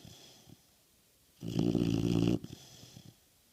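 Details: Nixie the American Bulldog snoring: one strong, low, vibrating snore of about a second, framed by soft breathy sounds before and after.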